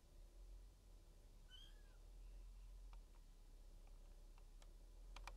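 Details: A single short high mew, rising then sliding down, from a 16-day-old male silver tabby Maine Coon kitten at a Tokyo cattery, followed by soft clicks and tapping sounds.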